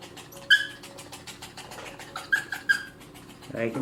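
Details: Pomeranian during grooming giving a few short, high, thin whimpers, three clear ones spread over under four seconds, against a rapid regular ticking and faint room noise.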